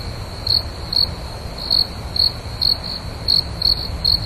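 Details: A cricket chirps at night in short, high, pulsed bursts, roughly every half second.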